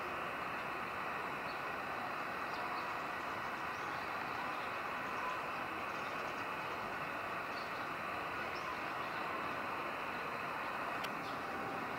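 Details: A steady, broad rumble of train or vehicle noise fills the whole recording, with no animal voice standing out.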